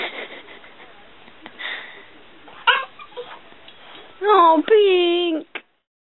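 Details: Stinky, a pet dog, reacting indoors to his own reflection in a mirror after his ball rolls toward the mirrored dog; soft talk early on, then a loud, drawn-out wavering whine with a short yelp at the end.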